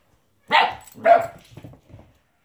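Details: Akira, a 10-week-old female Husky / Border Collie mix puppy, gives two sharp high barks close together, then softer trailing grumbles, in a quiet indoor setting.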